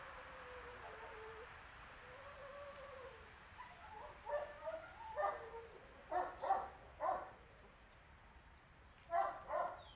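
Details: A female Boxer, two and a half years old, brought in for training and socialisation. Drawn-out high whines open the clip, followed by clusters of short, loud barks in irregular bursts over a constant background hiss.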